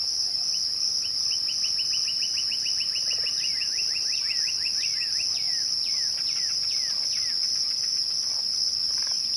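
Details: Crickets trilling continuously at twilight in a bright, steady, high drone; a bird's long, fast run of short notes speeds along before turning into several falling whistles.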